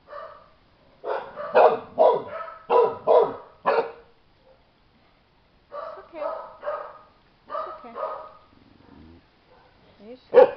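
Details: Chow Chow puppies, 25 days old, outside for the very first time, give short, harmonic-rich yipping barks in two clusters of quick bursts with a pause between. A woman's voice speaks softly to them.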